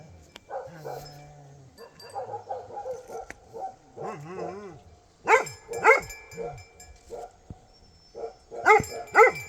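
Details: Bhote Kukur dog recorded in Nepal. Soft yelps and a man's voice come first, then two pairs of loud, ringing barks with quieter yaps between them.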